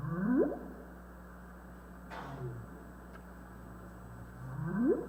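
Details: Humpback whale (Megaptera novaeangliae) song from US West Coast national marine sanctuaries, a middle theme of the song: rising moaning upsweeps that climb steeply, repeated about five seconds apart.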